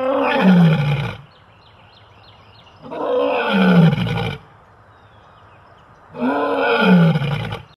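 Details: A caged lion, recently put into a small cage, gives three deep, rasping roars, each about a second long, with pauses between.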